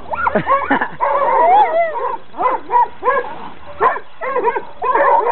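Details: Coon dogs in training bark excitedly, with a short burst of speech at the start. The barks come in fast ragged clusters, some with a drawn, baying ring. A low hum sits under the first second.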